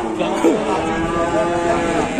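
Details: Raging cattle running loose in Indonesia give a short, deep, stacked moo under overlapping human voices and outdoor bustle.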